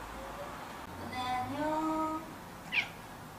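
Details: House cat wailing indoors because it does not want its owner to hold it; a long, steady, harmonic meow, slightly rising then level for about a second, followed by a brief sharp high sound and room hush.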